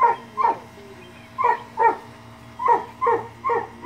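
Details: Puppies at play with a boy, giving seven sharp, high yips and barks in loose pairs and bursts across four seconds, with quiet gaps between and no other clear sounds.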